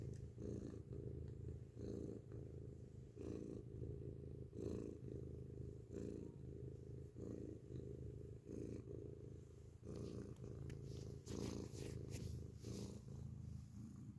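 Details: Grey domestic cat purring loudly, recorded up close: a continuous low rumbling drone with rhythmic swells as the cat breathes in and out, plus a few brief higher rustling clicks near the end.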